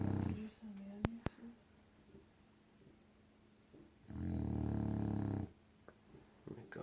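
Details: Sleeping pet dog snoring indoors: a long, deep, rumbling snore breath, with a person's voice and light rustling in the quiet room before it.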